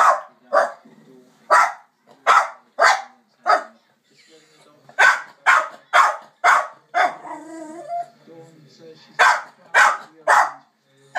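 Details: A Jack Russell Terrier barks at dogs on TV in sharp, quick bursts, pausing briefly before starting up again.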